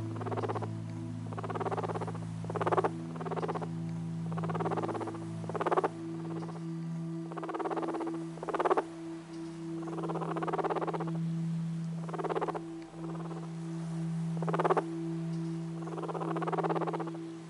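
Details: Guinea pig. A guinea pig gives a low, vibrating purr broken into short breathy bursts that come every second or two. A constant droning hum runs underneath throughout.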